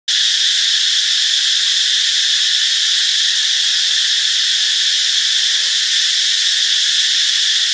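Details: Cicadas in Ubon Ratchathani, Thailand, recorded on Friday, March 26: a steady, unbroken high buzzing drone with a bright ringing band, holding level loudness throughout.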